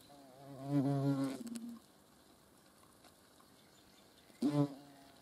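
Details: Hornet in flight, low droning wingbeat buzz with rich harmonics, a loud pass of about a second fading out, then a second shorter burst near the end; quiet background otherwise.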